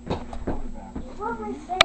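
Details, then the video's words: Female beagle and Brittany spaniel mix 'talking' to her owner, said to say mama and I love you: a few short pulsed sounds, then a drawn-out, wavering, whine-like glide rising and falling, ending in a sharp click. "Talking Dog"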